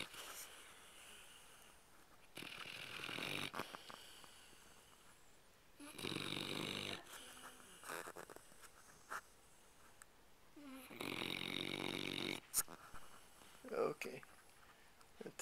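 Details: A tired Labrador dog asleep, snoring in rough bursts a second or so long, separated by quieter gaps, with breathy wheezing and faint background noise indoors.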